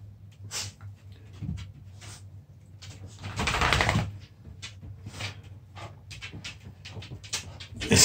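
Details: Puppies play-fighting indoors: irregular rough, noisy snarling bursts and scuffles, with a louder sustained tussle about halfway through, then short sharp bursts toward the end.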